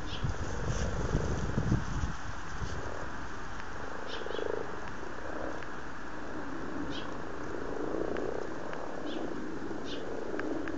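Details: Amorous frogs in a garden pond in Blarney, County Cork, Ireland, February 2012: a dense, continuous low purring chorus of many overlapping croaks, with faint clicks and splashes.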